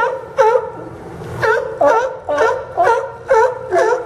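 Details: Barking sea lions on the Port of Newport docks in Yaquina Bay, Oregon, September 2015: one loud hoarse bark stands out roughly every half second, each a short honking burst, over a low murmur of other animals.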